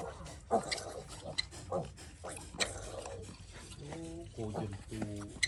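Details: Sick piglet, ill since it was little, giving short harmonic squeals and grunts, several in quick succession near the end, over a low rumbling background with clicks and human voices speaking nearby.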